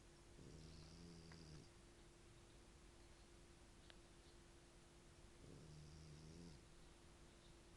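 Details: Sleeping dog from Italy snoring heavily indoors: two low, rough, drawn-out snores about a second long, roughly four seconds apart, with a steady faint hum in the background.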